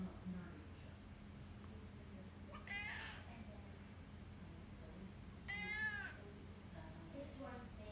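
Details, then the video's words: Henri, a pet cat, howling indoors: two drawn-out, harmonic meows with falling pitch about three seconds apart, plus a few fainter short cries and steady low hum in the background. "1 minute of my cat howling"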